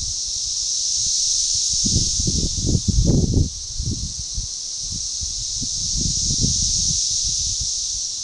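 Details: Organized periodical cicada chorus, Magicicada tredecassini, recorded June 7, 2015 at a forest edge near DeValls Bluff, Arkansas; a steady high shrill whine that rises and falls slowly, with low rustling thumps and bumps in the middle.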